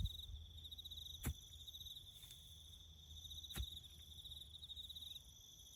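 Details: Crickets give a steady, high, pulsing trill in the bush during farm road-building work, over a low rumble and occasional sharp knocks.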